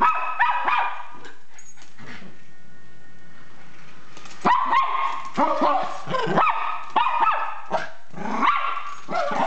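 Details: Zeus, a Miniature Pinscher spooked by an RC car, yaps in rapid strings of high barks, with a quieter stretch and faint mechanical hum before the barking resumes more insistently.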